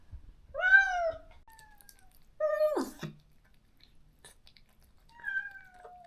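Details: After neutering, a stray cat cared for in a rural yard cries out for its separated best friend: three drawn-out meows spaced a second or more apart, the middle one ending in a downward slur, in a quiet indoor setting.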